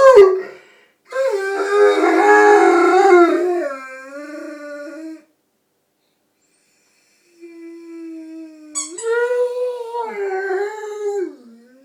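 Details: Rhodesian Ridgeback howling along with a squeaky toy: a long wavering howl that slides down, a silent gap, then a steadier rising howl with a squeak at its start.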